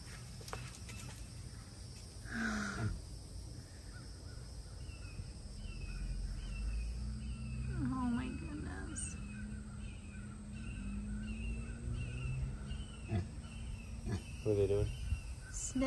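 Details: Rescued fennec fox, one of two surrendered to a rescue, screaming with excitement while introduced to a new companion; a run of short, squeaky repeated cries, then wavering, sliding harsh calls, with a woman's excited talk over it.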